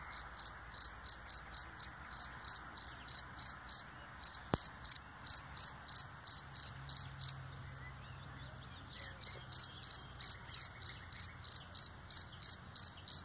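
A lone cricket chirps steadily, bright high-pitched pulses repeating about three times a second.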